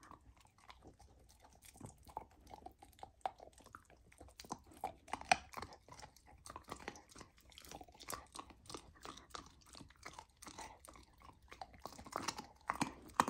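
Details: Lilo the golden retriever puppy crunches raw lamb, a first taste of the meat on her raw diet. Steady squishy chewing with frequent bone-like cracks continues throughout, ending in louder bites.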